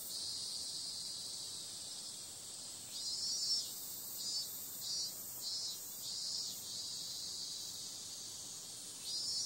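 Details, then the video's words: Night-time cicada chorus in summer, a continuous shrill hiss with a run of louder throbbing pulses through the middle before the steady buzz resumes. "Cicada sound"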